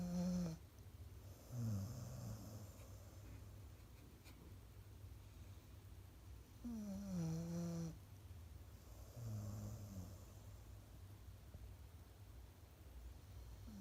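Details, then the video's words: Golden Retriever asleep on its favourite sofa, snoring indoors in a small room: low rumbling snores with a nasal tonal edge, each lasting about a second and recurring every three to four seconds, quiet background between breaths. "いびきをかくゴールデンレトリバー/dog snoring - Golden retriever"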